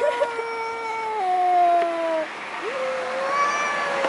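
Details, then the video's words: Aggressive yowling between two large male cats before a fight; long steady drawn-out wail that steps down in pitch, a brief break, then another level, sustained moaning cry. "Cats Making Funny Noises!!!"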